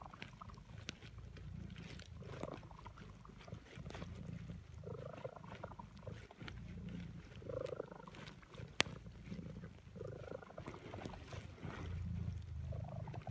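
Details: Napping female cat purring in the afternoon in a suburban setting, a low continuous rumble that swells and eases in cycles every two to three seconds, with a few faint clicks and a sharp tick near the middle.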